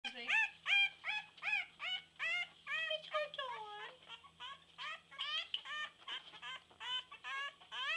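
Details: Female English Bulldog puppy howling while being held and rolling her tongue. Rapid, high-pitched squealing yelps come in quick succession, some sliding up or down, over a low steady hum.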